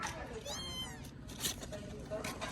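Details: Small abandoned kitten at its first safe meal mews once, a thin, high, arching cry lasting under a second. Vietnamese talk and clattering handling noises follow.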